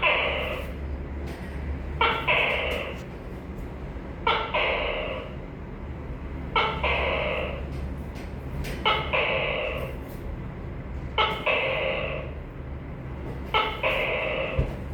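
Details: A long run of tokay gecko calls, about seven loud two-part bursts, each a short sharp note then a sustained nasal harmonic syllable, repeated every two seconds or so over a low steady hum.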